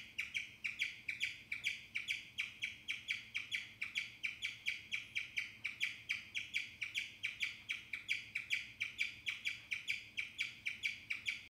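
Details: Guinea pig (Cavia porcellus), chirp.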